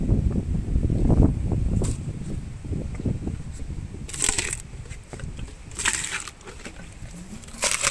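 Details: Elephant named Meri munching sugarcane, heavy low crunching at first, then quieter grinding broken by several bright, crackling bursts as stalks split and splinter.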